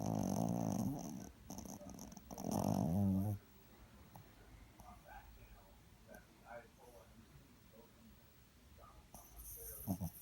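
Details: Sleeping dog snoring indoors: two loud, rough, rumbling snores in the first three seconds, then quieter breathing with soft human voices in the background, and a final brief snore at the end.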